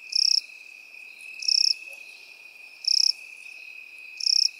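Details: Crickets and grasshoppers heard in field grass give four high, rattling chirps, each a quick run of pulses, spaced about 1.3 seconds apart while a continuous thin insect tone hums beneath.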